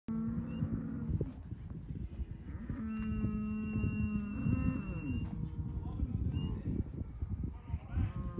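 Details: Angus/Black Baldy, Red/Red Baldy and Charolais Cross cows, 3-5 years old and bred, in a herd of nineteen; deep drawn-out moos at the start and again mid-clip, with fainter lowing and background rustle.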